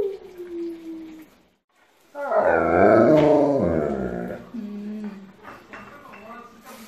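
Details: Alaskan Malamute howling together with family members in a home choir; a short falling voice, a pause, then a loud, rich, wavering howl for about two seconds, followed by softer tones and clicks.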